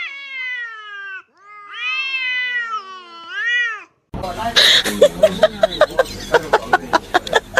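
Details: Domestic cat, a kitten, meowing in a home setting: several drawn-out, arching meows with rich harmonics in the first four seconds, then scraping, clicking and knocking noises that come in irregular bursts.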